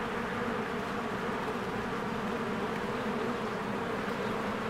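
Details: Honeybees swarming around their hive on a spring day, working diligently; an unbroken low buzzing hum of many wings, steady and dense, with soft hiss overhead.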